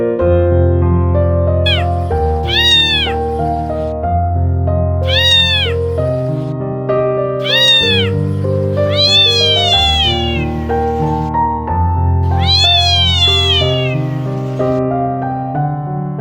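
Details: Helpless tiny stray kitten by a trash can giving desperate cries: repeated arched, wavering meows roughly every two seconds, several drawn out, set against continuous piano music.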